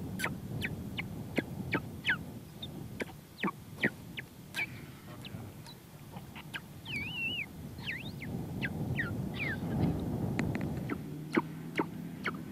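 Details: Weddell seals, two adult males and a practising pup, give eerie sharp chirps, quick descending whistles and a wavering trill over a low underwater rumble.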